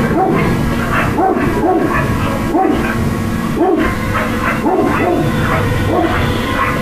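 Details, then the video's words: Dog barking in short, repeated barks about once a second, each bark a brief rising-then-falling burst, over a loud, constant background hum. "dog barks"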